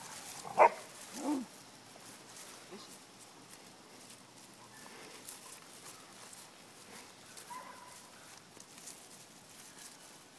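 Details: Mastiff puppies playing in a back yard: two sharp, loud barks in the opening second and a half, followed by a long stretch of quiet outdoor background with only faint scattered noises.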